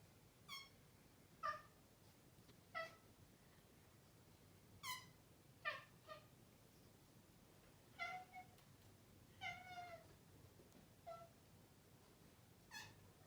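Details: A chatty male Maine Coon cat chirps at its owners: short, bright, bird-like chirrups spaced a second or two apart.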